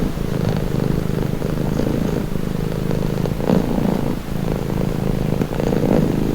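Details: Calming purr of a pet cat: low, even rumble with faint pulsing, a little softer and muddier than a clear close purr, running through the whole stretch with two short gaps near the middle and end.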